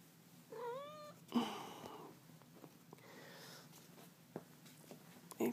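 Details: A pet cat meowing in the early morning, wanting to play fetch: one clear rising-falling meow with bright harmonics near the start, then a thud and soft rustling in a quiet indoor room.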